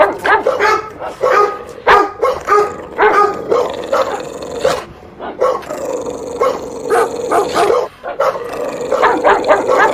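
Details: Angry dog barking loudly in harsh, rapid bursts, several barks a second, with a short lull near the middle before the loud barking resumes.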